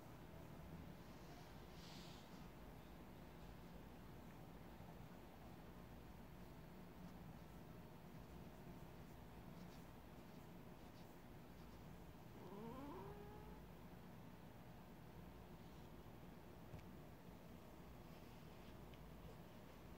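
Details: Russian Blue cat named DaeChu, a neutered male weighing 5.5 kg, touched while asleep indoors; after a long stretch of quiet room hiss, he gives one short, rising chirp-like meow about two-thirds of the way through.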